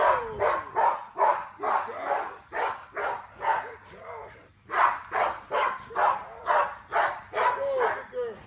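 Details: XL American Bully female at exercise, driven and excited, gives a steady run of sharp barks about two each second, bright and harsh, with a short pause midway, human voices faint behind.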